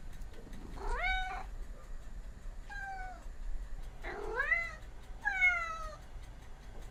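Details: Domestic cat meowing four times at irregular gaps, some calls arching upward, others sliding steadily downward, in a fairly quiet setting.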